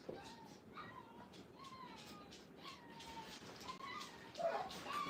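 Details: Five-week-old Brittany puppies on their first time in a playpen at a training kennel give soft, thin whines that slide downward, scattered through a quiet room with a few louder yelps near the end.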